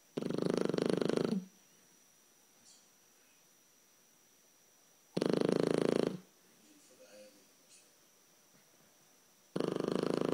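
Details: A 12-week-old blue Shar Pei puppy, asleep, snoring loudly: three rough, fluttering snore bursts about a second long, spaced roughly four seconds apart, with near silence between breaths.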